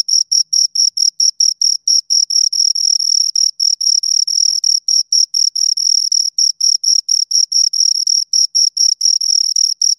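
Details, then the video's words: Shrill, high chirping from two crickets, brief scraping pulses repeated roughly twice a second in irregular clusters, some pairs running together, with nothing else audible. "Two Crickets Chirp Sounds"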